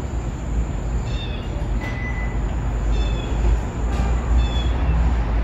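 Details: Kitten stuck down a street drain keeps crying as its mother works to pull it out near passing cars: short, high, thin meows come at uneven intervals, half buried under constant low vehicle roar.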